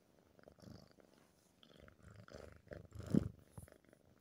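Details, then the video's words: Purring from a male tabby cat whose ears are being stroked, a soft low throbbing rumble in short pulsing waves that swells near the three-second mark, indoors with faint rubbing sounds. "Touching his ears activates purrs"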